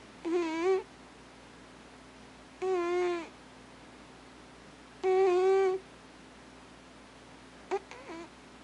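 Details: Alpha cat Thames, asleep indoors, makes three wavering tonal moans about every two and a half seconds, then a brief faint chirp-like sound, with silence between.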